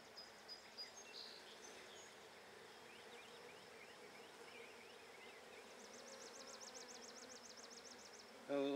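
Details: Irritated Buckfast honey bees at an opened handmade hive during an inspection on 23 May 2009: a constant low hum, a rapid bird trill in the background partway through, and a sharp clatter at the end.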